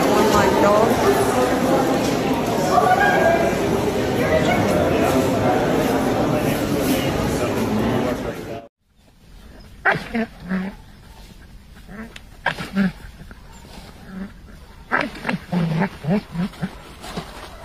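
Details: Belgian Malinois dogs at a farm in Morocco. Loud, busy voices fill the first half. After a sudden drop, short harmonic barks come in clusters of two to four, separated by quieter pauses.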